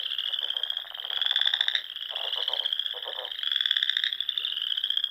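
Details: Frog song from the Sandhills of Nebraska on a spring evening near small lakes; steady high trilling with several louder pulsed bursts rising and falling, callers overlapping throughout.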